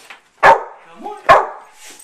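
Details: Indoor pet dog barking on request: two strong, clipped barks spaced nearly a second apart, a faint yelp before them and a low whine between.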